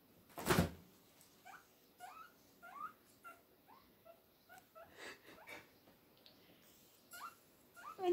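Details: Heavily pregnant pet guinea pig named Lydia, always looking for more food, calling as the fridge door opens: a series of short rising squeaky wheeks repeated every half second or so, with a loud clunk at the start and a person speaking quietly.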